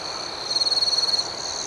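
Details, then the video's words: Nighttime cricket chorus: a sharp, rapidly pulsing high trill swells for about three quarters of a second over a constant shrill background hum of other crickets. "Soothing Cricket Sounds"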